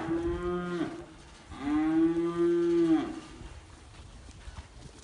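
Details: Registered Holstein bulls of American lineage kept in Libres, Puebla, Mexico, offered for sale; two steady, resonant moos, a short one then a longer one of about a second and a half, followed by quiet background.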